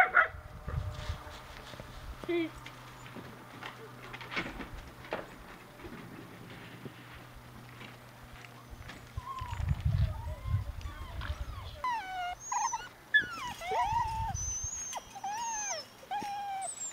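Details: Bloodhound mix puppies with their mother at a foster home whine and squeal in high, wavering, rising and falling cries.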